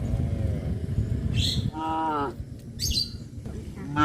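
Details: On a village farm where tame cows roam by the highway, one short harmonic moo rises out of low rumbling noise, flanked by brief high chirping sounds.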